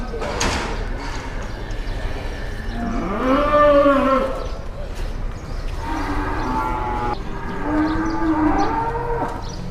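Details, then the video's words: Large cattle at a livestock market in Indonesia, arriving early in the morning and drawing onlookers; loud harmonic moos swell and fall in long drawn bellows, three or four across the stretch, over crowd chatter and market bustle. "SAPI JUMBO DATANG AWAL LANGSUNG JADI TONTONAN"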